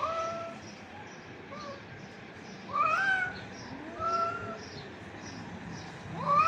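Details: Stray cats squabbling: long wavering meows, a loud rising yowl near three seconds, another drawn-out cry around four seconds and a sharp rising meow at the end, over a low steady background hum.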